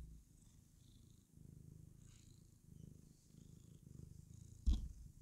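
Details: A female pet cat, happy while clowning around, purrs in a steady low rumble of rapid pulses, with one short sharp knock near the end.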